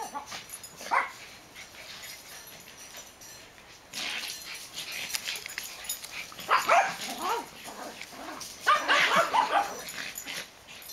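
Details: Backyard play between two dogs, black Max and Ewok, recorded 8-22-10; scattered yips early, then louder clusters of squealing yaps and growls toward the end, over steady background hiss.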